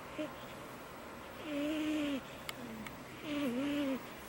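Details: A cat snores loudly and high, with two long, tonal, whistling breaths that dip and rise in pitch, a brief quieter note between them, and a soft tap in a quiet indoor room.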